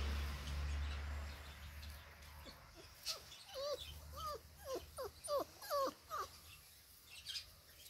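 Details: Labrador Retriever puppies, five weeks old, out in the garden; a series of brief rising-falling whimpers, roughly two per second, after a low rumbling start, with a woman's voice nearby.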